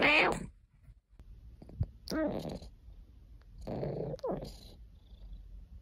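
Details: Domestic cat Caesar von Schwanheim, a pet, purring and complaining: a rough, noisy first call, then a short harmonic chirp near two seconds and a longer drawn-out complaining meow around four seconds, with quiet gaps between.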